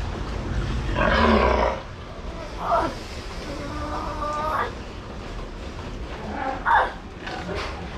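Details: Sea lion at Ise Sea Paradise aquarium in Japan, from a series following the growth of Poron's pup: hoarse, harmonic barks and roars in four bursts across eight seconds, with voices and steady background noise between calls.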